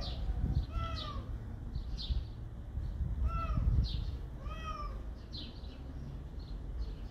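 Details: Domestic cats meowing: several short, high, arched meows that rise and then fall, loudest near the first, third and fifth seconds, with fainter meows between, over a steady low rumble and some handling noise.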